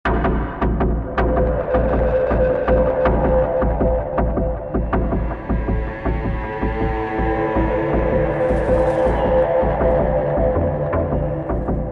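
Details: Loud throbbing ambient electronic music with a deep pulsing hum and gong-like strikes, with no animal calls.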